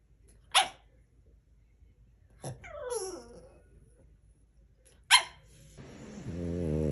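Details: French Bulldog giving three sharp single barks several seconds apart, with a falling whine-like cry after the second bark and a low harmonic growling rumble at the end.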